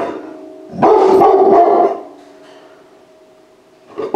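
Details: A puppy saved from euthanasia at a high-kill shelter, now inside a home, lets out a single harmonic bark of about a second, with a steady low hum underneath and a quiet room before and after.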